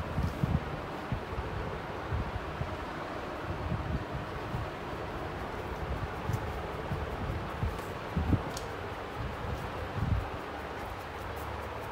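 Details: Steady broadband rustling and wind-like noise with scattered bumps and clicks, no animal vocalisation.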